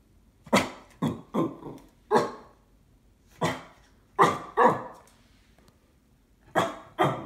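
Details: Indoors, a Cocker Spaniel barks suspiciously at an IKEA parcel: loud, sharp, harsh mid-pitched barks, often in quick pairs or triplets, separated by brief silences.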